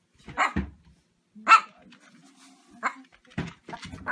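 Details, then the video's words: Domestic dog barking in a short, uneven series: four sharp, harsh barks about a second apart, the second one loudest, with quieter rough yelps between them and otherwise little background sound. "Funny Dogs Barking Compilation"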